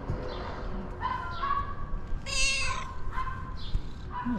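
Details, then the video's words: A female pet cat meows over and over in a short series of drawn-out, wavering cries. One louder, higher and harsher wail comes in the middle, and faint human talk sits beneath. "Have you ever seen a cat meowing like this ?"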